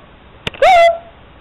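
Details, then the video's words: A puppy that misses its owner at work reacts to the question about where daddy is: a faint click, then one loud, high whimper that rises sharply, holds a steady tone, and fades away over half a second indoors. "My puppy misses his Daddy When he's at work"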